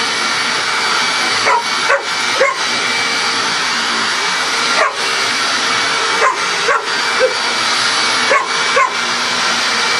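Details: Coco, a pet dog, barks at a running vacuum cleaner; short sharp barks come in small bursts of two or three, spaced irregularly across the stretch, over the steady loud roar of the vacuum.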